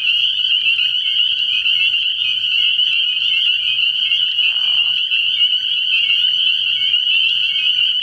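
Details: Many spring peepers sing together after dark at a pond early in the year, their high peeps blending into one loud, unbroken trill, with a brief softer lower sound midway and a faint low hum.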